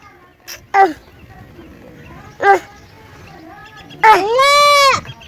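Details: A young goat gives two short bleats, then a longer, high, wavering bleat.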